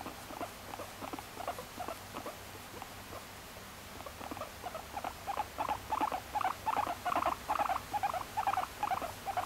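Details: Moru-chan, a female guinea pig kept as a pet since May 2019, starts with soft scattered chuts that build into louder, steadier pulses over nine seconds, roughly two per second, without music.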